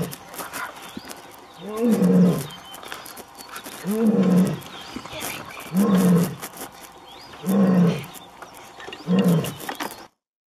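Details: Wild Asiatic lioness roaring in Gir National Park, India: five deep, throaty grunts with a slight upward then downward pitch, spaced about two seconds apart, steady and rhythmic, with soft ambient rustle behind.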